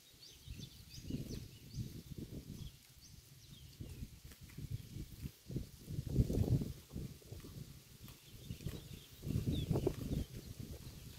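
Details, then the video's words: A cow feeding on grass beside a road, recorded close: irregular clusters of low crunching and ripping bites, louder around six and ten seconds, with faint high chirping in the background. "The Unique Sound of a Cow's Mouth Eating Road Grass"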